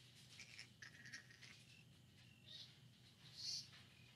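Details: Flying fox at the Lubee Bat Conservancy in Gainesville, Florida, U.S.A., on a live bat cam, 4 October 2019, with Tyrant named: short high squeaky chirps in quick bursts, then two louder shrill squeals near the end, over a steady low hum.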